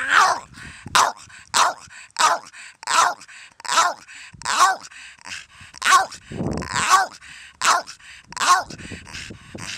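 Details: Steady series of about a dozen sharp, clipped barks, roughly one every 0.7 seconds, from Donut, an elderly female Staffordshire Bull Terrier cross barking at nothing, with a low voice murmuring briefly midway.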